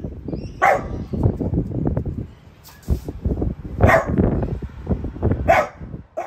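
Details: Piper, a French Bulldog in her household, barks at a newly arrived artichoke plant. Three short, sharp barks ring out near the start, middle and end, set over steady low rumbling and soft thumping between them.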